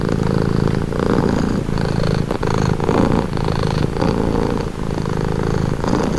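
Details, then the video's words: Domestic cat purring steadily and close, a low rumbling pulse with soft breathy swells roughly every second as the cat breathes in and out; no other sounds. "Purring cat"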